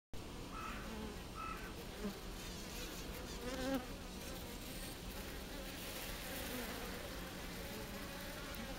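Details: Japanese honey bees forming a heat-ball cluster, a dense steady buzzing hum with a few faint brief tones on top.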